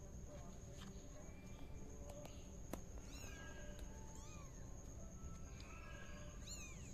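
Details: Tabby kitten playing while spinning in a pot, with a few thin, high, arched mews, one clustered pair midway and a sharper one near the end, among scattered clicks and knocks and a constant low hum.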